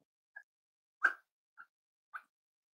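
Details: Cavalier King Charles Spaniels indoors during a puppy livestream with five-week weight checks, where puppies and adult dogs play in a kitchen: three short, high yips spaced about half a second apart, with one louder, sharper bark in the middle, in a quiet room.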